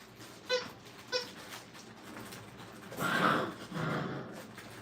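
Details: Brittany puppies at a kennel during crate and tunnel training: two short, high, tonal whimpers about half a second apart, followed by a longer burst of broad rustling noise and a softer scuffle.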